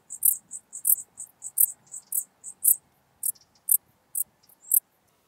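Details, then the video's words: Common Dark Bush-cricket singing near Tuttlingen, Germany, on 8 October 2022. Sharp, high, buzzy chirps arrive in quick uneven runs, some doubled, with short pauses between groups. "Pholidoptera griseoaptera -- Gewöhnliche Strauschrecke -- Common Dark Bush-cricket"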